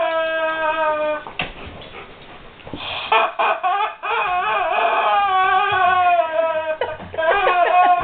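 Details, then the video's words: Whimpering guard dog faced with a squeaky toy: a held high whine, then a stretch of restless, quavering whines that wobble up and down in pitch almost without pause. "Guard Dog Whimpers over Squeaky Toy"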